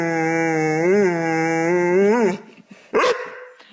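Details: Domestic dog voicing an odd, drawn-out tone rich in harmonics, steady for two seconds with two upward bends, ending abruptly before a short sharp bark-like yelp.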